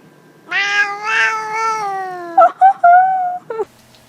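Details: Talking cat producing one long, steady, nasal meow lasting about two seconds, then three short chirping mews in quick succession, against a quiet indoor background.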